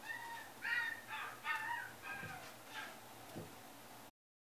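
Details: Male Maltipoo at the Inu no Ie pet shop in Kuwana, Japan, giving a run of high, tonal whining yelps, several close together in the first two seconds, then fainter, sparser cries over a steady low hum.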